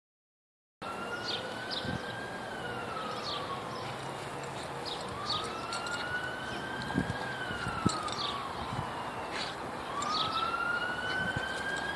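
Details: No animal sound is heard; an emergency siren wails up and down continuously with faint background noise.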